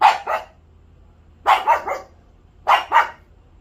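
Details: Pet dog barking in rapid pairs, three quick double barks about 1.3 seconds apart, each bark short, harsh and loud.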